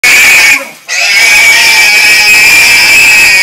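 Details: Pig screaming: a loud, sustained, piercing shriek held steady at a high pitch, broken by one brief pause near the start, then continuing unbroken to the end.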